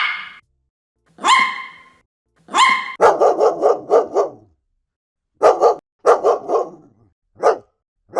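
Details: Dogs barking from a compilation of many breeds, large and small: two drawn-out, harmonic yelps, then a rapid run of six sharp barks and a few more scattered barks, with clean silent gaps between.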